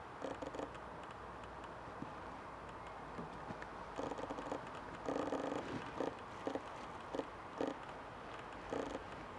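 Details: Red fox cub in the Welsh countryside giving short, repeated calls with a harmonic, mid-pitched quality in bursts of one or two, the bursts irregularly spaced, over a steady background hum.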